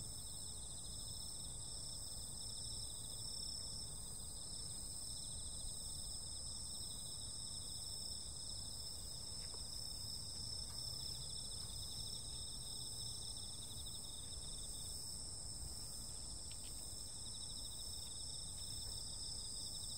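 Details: On a summer night, insects keep up a continuous shrill ringing in several high layers, with a few faint brief clicks breaking through and a soft low rumble underneath throughout.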